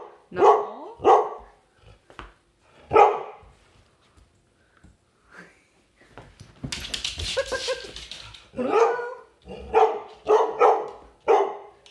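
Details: Indoor play with a pet dog: a series of sharp barks spaced roughly a second or two apart, a burst of scuffling noise in the middle, then quicker repeated barks toward the end.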